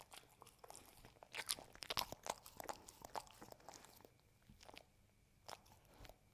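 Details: Hazel the dog eating a home-made Ube Roll and Cookie Cat dessert indoors; sharp crunches and chewing bites come in irregular bursts, loudest in the middle, then quieter scattered crunches.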